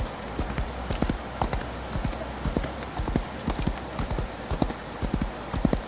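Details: Galloping horse with rain falling: sharp, low hoof impacts bunched in rolling beats, roughly two per second, with a steady low hum and bright rain patter above.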